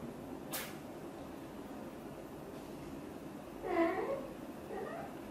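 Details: Mother cat, a blue golden British shorthair, talking to her kittens: one clear, rising-then-falling meow followed by a fainter short one, after a brief sharp click early on, in a quiet room.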